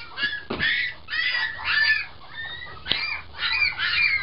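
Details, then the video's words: Puppies squealing loudly in a small room: shrill, rough squeaks in quick clusters, broken by two sharp clicks, with a faint low hum underneath. "Cute puppies barking and talking"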